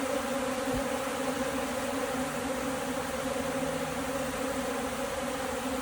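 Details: Honey bees lacking food, a steady droning hum with strong bands low in pitch, unbroken and even throughout, over a constant hiss.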